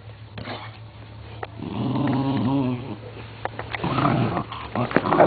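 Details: A pit bull in a play fight gives a sustained rumbling growl lasting over a second, then rougher snarling bursts, while a man talks in Spanish and background music plays faintly.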